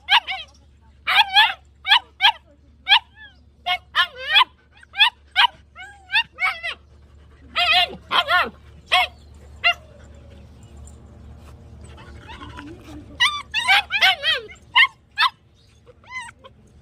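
A German Shepherd barks in shrill, yappy volleys, several quick barks at a time. A softer stretch of muffled whines and rustling comes in the middle before the barking starts again.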